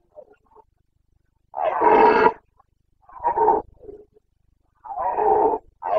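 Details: Carpathian stag roaring in the Bucovina forests during the rut, known locally as boncănit, 29.09.2022: a long resonant bellow, then a shorter one and a low grunt, followed by another long roar that is cut off at the end.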